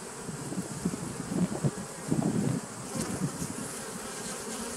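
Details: Bees buzzing on 27 September 2018, the hum rising and falling in uneven low surges, louder pulses of buzzing swelling around the middle before settling back to a softer drone.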